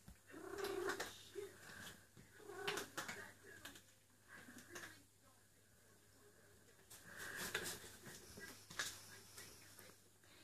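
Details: Eule, a female cat in heat calling for a mate indoors, repeats short, soft, mewing cries at irregular intervals over a steady background hiss and rustling.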